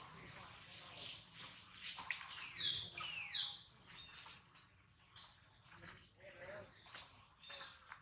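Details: A poor baby monkey named Adler, hungry and missing his mom, cries while a small monkey holds him: a continuous run of sharp, high-pitched squeals and chirpy whines, with soft rustling underneath.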